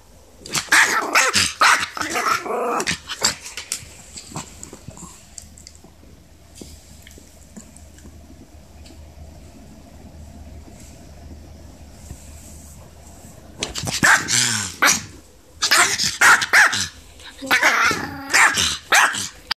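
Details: A Maltese puppy, newly arrived at home, protests fiercely with rapid, high, yappy barks and growly yips.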